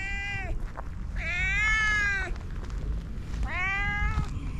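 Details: An orange cat giving three clear meows, each rising then falling, the middle one long and drawn out, over a steady low rumbling background noise.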